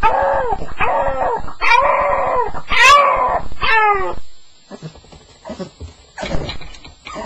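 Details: Staffordshire Bull Terrier on its first night, making distressed vocal sounds: a run of loud, arching whine-howls with stacked harmonics lasting about four seconds, followed by quieter broken whimpers and rustling.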